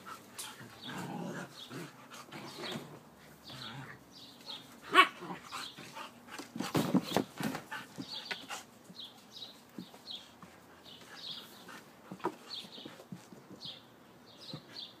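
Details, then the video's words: Siberian Husky in play, uttering low rumbling growls and grunts, then a burst of loud scuffling, followed by quieter panting and faint high chirping in the background. "Husky play"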